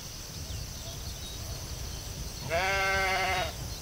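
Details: A sheep in the field lets out a single tremulous, nasal bleat lasting about one second near the end, preceded by quiet low wind rumble and a steady high-pitched background hiss.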